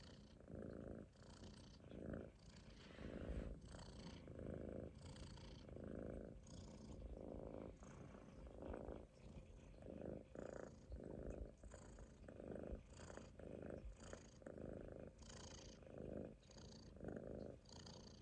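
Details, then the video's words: Sleeping Munchkin kitten lying on its owner's stomach snores steadily, low raspy breaths repeating roughly every second with slight airy hiss, nothing else audible in the calm room. "Kitten snoring on my stomach 飼い主のお腹の上でいびきをかいて寝る猫"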